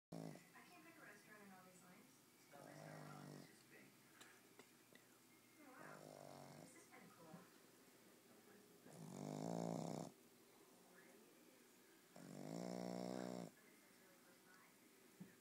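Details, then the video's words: Boston Terrier snoring indoors: slow cycles of rasping, buzzy breaths, each lasting about a second, the loudest swelling around the middle and end, with quieter breathing between. "Snoring Boston Terrier"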